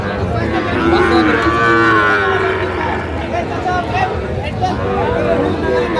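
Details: Sahiwal bull calf at a busy cattle market in Comilla, Bangladesh, recorded 10 May 2025: one drawn-out, wavering moo with rich harmonics over the steady murmur of the crowd and market chatter.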